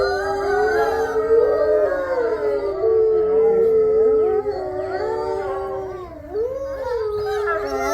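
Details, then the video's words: Captive-born gray wolves of a pack howling together in their main enclosure, with neighboring enclosures joining: several overlapping long, mournful howls that rise, hold and fall, voices weaving around each other, some sliding down sharply. "Howls With The Main Wolf Pack"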